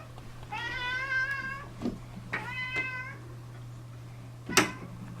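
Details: Pet cat meowing while being given hairball medicine it hates, indoors in a small room: two long harmonic meows with a slight wavering rise, then a sharp click, over a steady low electrical hum.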